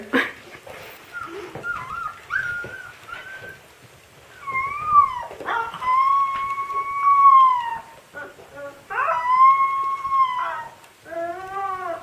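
A Siberian Husky puppy howls in long, wavering, rising and falling notes, with whimpering yips between them.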